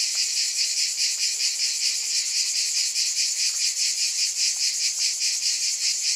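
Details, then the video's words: Shrill, unbroken cicada buzz with a soft throbbing rhythm of roughly two beats per second, the sound sitting entirely in the high register over a quiet background. "Scintillating Cicadas"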